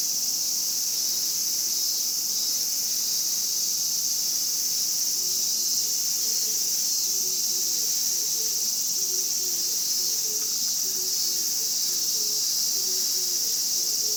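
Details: Japanese cicadas in a steady, dense, high-pitched shrill buzz that holds unbroken throughout, with a faint series of soft lower chirps weaving in during the second half.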